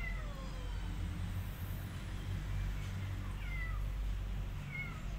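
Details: Abandoned kittens, left because their family could not provide cat food, give thin high mews that slide downward, several in quick succession over a steady low rumble of background noise.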